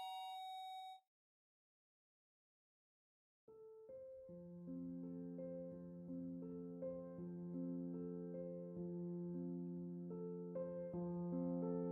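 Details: Piano-like electronic music plays in steady repeated notes after a short tone and about two seconds of silence; no animal sound is heard.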